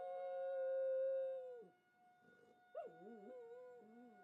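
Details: Pet dog howling in response to a monthly tornado siren test: a long steady howl held about 1.5 seconds, then wavering, dipping yowls, over the constant hum of the siren.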